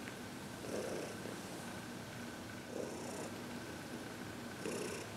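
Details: Contented senior cat Heidi during a massage and reiki session on February 22, 2021; three clear purring swells, each a breathy rumbling pulse about two seconds apart, over a low steady indoor hum.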